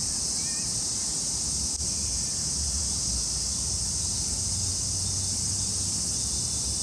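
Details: Summer cicada chorus in a park in Tokyo, a steady shrill buzzing that never pauses, over a low outdoor rumble.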